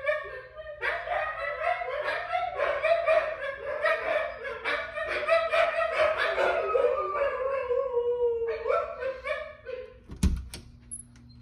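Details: Several Siberian Huskies howl for their owner, their long, wavering voices overlapping in a sustained chorus that drifts slowly downward in pitch, then briefly rises again before breaking off near the end with a sharp clatter.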